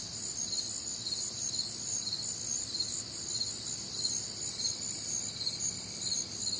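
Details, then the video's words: Warm, humid Midwestern summer night with crickets and other nocturnal insects: dense, high, pulsing chirps over an unbroken shrill trill, and a faint thin steady tone late on. "Night Time Cricket Sounds"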